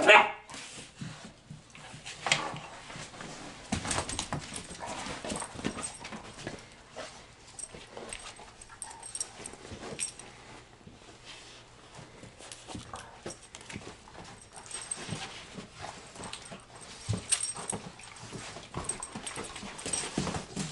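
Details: Two German Shorthaired Pointers, a smaller male and a larger female, growl, whimper and yelp in bursts as they play-fight in a living room.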